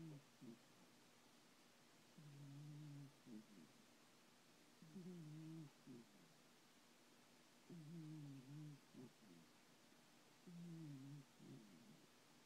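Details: Sleeping cat named Thomas snores through his dreams, low nasal rumbles in two-part breaths lasting about a second, returning roughly every two and a half seconds in a quiet room with a faint background hum.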